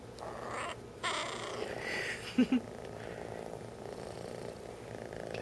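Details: Ratchet, a three-month-old adopted kitten who talks when happy, purring softly indoors, low rumbling texture with two brief louder pulses midway, while a person greets him by name.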